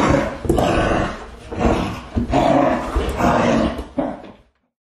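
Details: Dogs growling and snarling: loud, rough, continuous rasping growls in overlapping pulses with brief breaths between, ending abruptly after about four and a half seconds.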